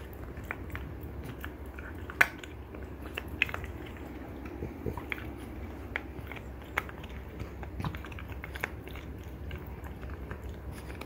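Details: French Bulldog mother and daughter, Ume and Roku, both female, grinding on deer antler: steady faint scraping broken by crisp, isolated clicks every second or so.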